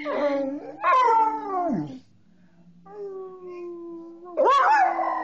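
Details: A coonhound and a person howling together. Loud, quavering bays open the clip and drop away, then a steady, flat, low howl is held, and a sudden loud rising-and-falling bay ends it.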